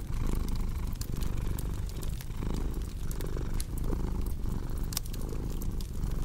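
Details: Rumbling cat purr with breathy pulses roughly every second, slightly uneven in strength, mixed with crackling fireplace pops and snaps.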